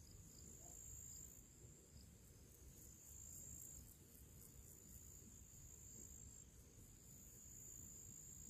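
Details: Summer crickets singing before evening in nature alongside other small creatures: an unbroken piercing high trill with rapid faint pulsing, steady throughout, set against a gentle low-pitched background hiss.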